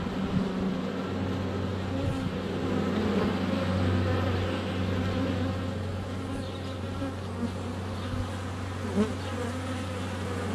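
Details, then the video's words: Steady low hum of many honey bees flying around the hive entrance on a sunny day in February, recorded under a foot away on a GoPro Hero 7 Black; the droning buzz holds constant with faint passing whines. "4K Honey Bees - ambient video and audio"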